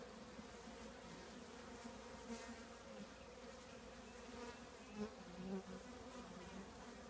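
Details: Honey bee colony living in an old trash can: a steady low hum of many wings, with bands near 200 and 500, and brief louder buzzes of single bees passing close around five seconds.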